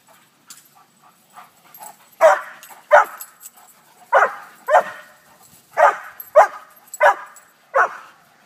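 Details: A newly adopted rescue Airedale meets two new Poodle friends, and the dogs give about eight short, sharp barks or yips, some in quick pairs, spread across several seconds over a quiet background.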